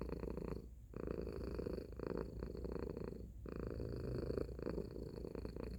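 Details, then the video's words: Loud purr from Tacy the domestic cat. A continuous gravelly vibration is interrupted by two short pauses near one and three and a half seconds, where the cat switches between breathing in and out. "Cat Purring Sound Effect"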